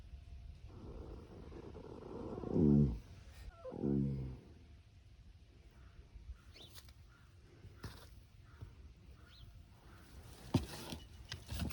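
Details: Gypsy Vanner colt napping in the sun, snoring: two rough, pulsing low snores in quick succession, each about a second long, followed by quiet breathing-level background with a few faint clicks and taps.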